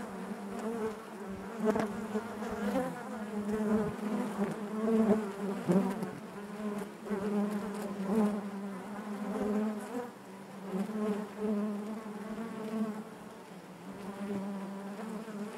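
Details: Inside a honey bee hive, a continuous low hum from many bees layered with rising and falling whines as individual bees fly near, the drone pulsing gently in volume throughout.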